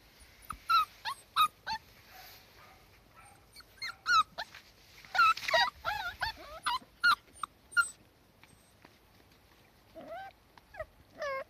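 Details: Young Cardigan Welsh Corgi puppies settling into a garden lawn in March 2020 produce bursts of shrill, wavering whimpers and short yips in quick clusters, falling quiet midway, then a few longer descending whines near the end.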